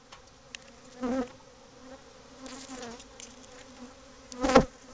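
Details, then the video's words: Many agitated bees around a hive built inside a cavity in a house's covered patio. A low, steady droning hum swells into louder passes near one second and again at the end, with a sharp knock close to the finish. "Bee Hive In Your House"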